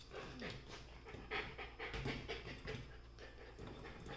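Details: Golden retriever puppies play-fighting over a chair: quick, breathy panting puffs in rapid succession, with low snuffling and faint scuffling underneath, indoors and close to the microphone.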